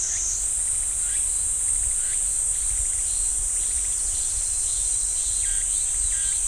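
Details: Cicadas in a pine forest at Ssanggyesa temple, Jirisan National Park, fill the air with a steady, high, hissing drone that never breaks.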